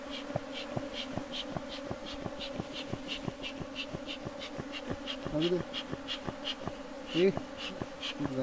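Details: Bee colony at a bee box during beekeeping: a steady droning hum of many bees with harmonic bands, overlaid by regular clicking or tapping pulses about three times a second and a couple of brief louder buzzes from bees passing close.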